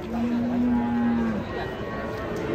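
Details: Raging cattle watched by a crowd of residents: one steady, low, level moo lasting over a second, then fading into murmuring background voices.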